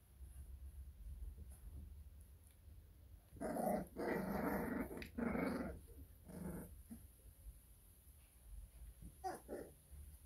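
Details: Growling from American Bully puppies in a small indoor room: after a quiet start, two strong, sustained raspy growls run back to back, followed by a shorter growl and a few faint snarls, with a constant low background hum.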